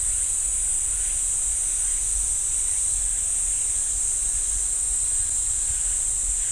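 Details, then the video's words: Cicadas in a pine forest at Ssanggyesa temple, Jirisan National Park, South Korea: a dense, steady, high-pitched buzzing drone that holds unbroken throughout, with a low rumble of background noise underneath. "지리산 쌍계사 소나무 숲 매미 소리"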